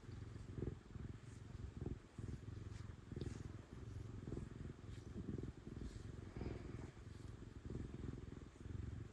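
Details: Domestic cat, a female, purring loudly while being petted: a steady low rumbling purr in alternating in-and-out pulses roughly every second, with faint rustling from the petting hand.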